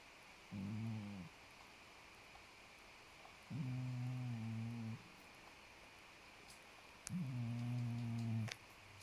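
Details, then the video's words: Snoring of the sleeping cat Podo, three low droning breaths of varying length spaced about 3.3 seconds apart, with a couple of faint clicks near the end. "장포도 코고냥 Podo's snore"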